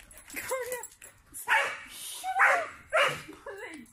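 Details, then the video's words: Sprocker spaniel leaping around and attacking bubbles during play, barking excitedly: four short, high, yelping barks with bending, slightly whiny tones, spaced roughly a second apart, with faint background noise between them. "My Dog Plays With Bubbles ( lots of barking )"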